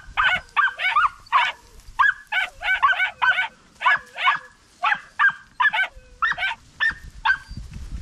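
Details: Young Podencos on a rabbit hunt across open country give a shrill, broken yelping chorus. The notes come in quick irregular clusters with brief pauses, and light rustling sounds underneath.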